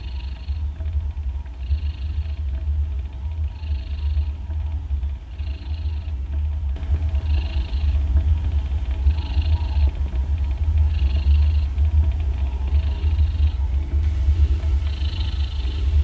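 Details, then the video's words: Sleeping domestic cat lying in an odd, comical position, making a constant deep rumbling purr-like snore with soft hissing breaths about every second and a half, steady throughout the stretch. "شخير القطط"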